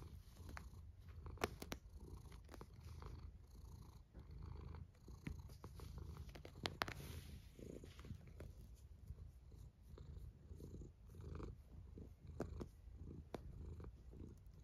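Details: A cat snoring in a long low drone, with soft rhythmic swells of breath and many small clicks and rustles.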